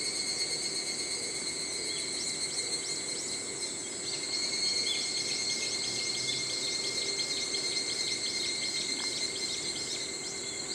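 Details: Evening cicadas (higurashi), which chirp in early morning and evening, give a rapid series of high, descending strokes. Steady high-pitched tones hum throughout, and a brief lower note sounds near nine seconds.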